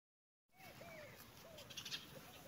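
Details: Kitten playing with a cat, giving a few faint, thin meows, each a short arched whine that rises and falls, over a steady background hiss.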